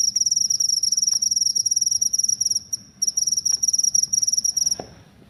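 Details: Shrill, rapidly pulsed cricket trill, used as a rat-repelling sound, broken by a short pause near the middle, then resuming before stopping abruptly, leaving only a faint low rumble.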